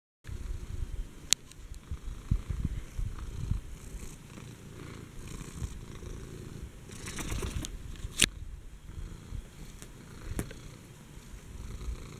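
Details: Furball, a fat female pet cat at least seven years old, purrs indoors: a steady low rumble running throughout, broken by a few sharp clicks and knocks.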